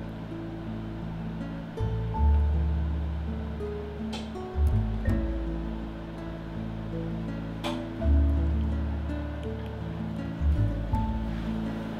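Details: Light, bouncy background music with steady low bass notes, and no animal sound.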